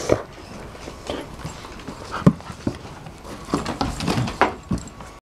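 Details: Rolex, a female Shar Pei, and Ellie, a Kelpie cross, meeting again after five months apart; soft, irregular bursts of panting and snuffling breaths, a few sharper puffs standing out among quieter ones.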